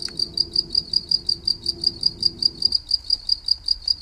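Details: Cricket heard for relaxation, chirping in regular high, clear pulses about four per second, with a low droning hum that stops partway through, leaving only the insect.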